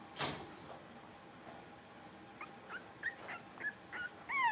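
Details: Blenheim Cavalier King Charles Spaniel puppies, a litter of five playing in an indoor pen; a sharp bark-like burst starts, then a string of short high yips and squeaks, ending in a thin rising whine.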